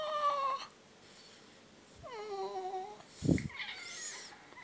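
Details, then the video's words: Talking pet cat, said to curse while asking for food, utters two drawn-out meows that slide downward, then a dull thump and a softer, higher meow. "Кот ругается матом! Кот говорит или Говорящий кот"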